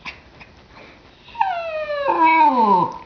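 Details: A 10-year-old female Cairn Terrier, a frequent talker, gives a drawn-out, whining grumble that dips and wavers, complaining that her toy isn't thrown fast enough.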